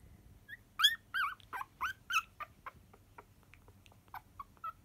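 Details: Sleeping, dreaming poodle puppies give high whimpers and squeaky yips, some sliding down in pitch, in a quick irregular run of about a dozen short calls that fade toward the end; quiet room.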